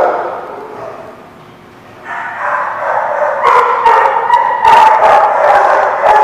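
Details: Dog at The Barking Lot on 27 October 2017: faint murmur at first, then from about two seconds a run of loud, rough barks coming in rapid succession, roughly two or three per second.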